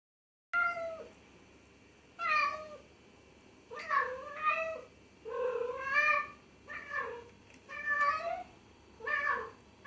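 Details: Pet cat meowing repeatedly, about eight bent, nasal calls in quick runs, some paired and rising then falling, with brief quiet gaps in an indoor setting.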